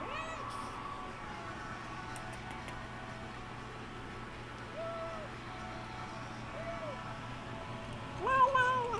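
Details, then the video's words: A kitten makes weird sounds while it eats: soft, faint arching squeaks every second or two over a steady background hum, ending in a louder wavering cry. "Kitty Makes Weird Sounds When He Eats"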